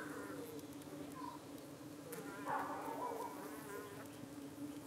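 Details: UK honey bee colony at its hive in the evening, harassed by suspected parasitic flies clinging to bees' abdomens. Constant humming drone, with a louder, higher buzzing flight sound swelling around the middle as insects pass close.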